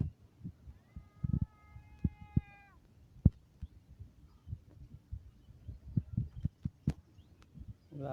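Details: A cat's meow opens the recording: a steady, harmonic cry about two seconds long. It is followed by repeated low thuds, clicks and handling noise.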